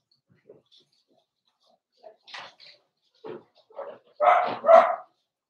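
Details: Blenheim Cavalier King Charles Spaniel puppies, born November 14, 2022, in a home puppy pen at Christmas time, give a run of short yips rising to two loud, full barks near the end.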